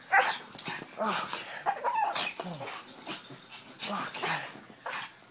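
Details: Pug dogs giving quick, raspy yaps and brief whining sounds in irregular bursts, alongside human voices.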